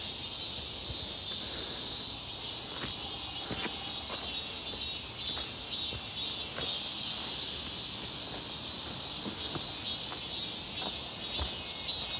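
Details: Cicadas near Seonbawi on a clear, hot midsummer day, 1 August 2023, heard on a walk: a dense, unbroken, shrill buzzing chorus of many insects holds steady throughout, with scattered footstep clicks and soft taps beneath.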